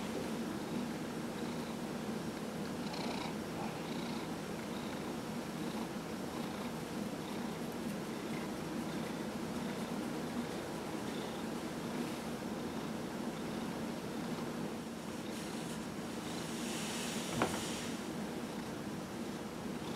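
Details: Dillard, a 15-year-old cat recovering from lymphoma treatment, purring during a massage; a constant deep rumble with faint periodic breathy pulses, rustling, and one sharp tap near the end.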